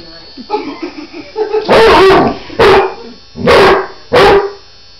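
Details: A female Basset Hound protests a Pedi Paws nail trimmer with loud, hoarse barks and howls, with softer whines between.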